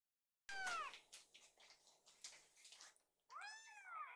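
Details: Hungry rescued kittens gathered in a kitchen while their food is prepared: a high, bent meow opens, scraping and rustling household noises follow, then a second falling, wavering meow closes.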